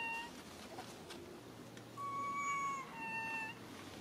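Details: A young monkey named Lily crying for her mother: two drawn-out, thin whistled cries, the first long and level, the second short and slightly falling, over a low steady hum and faint background noise.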